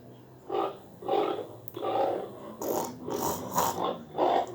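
A pig grunts in short, rough, nasal bursts, one after another about twice a second.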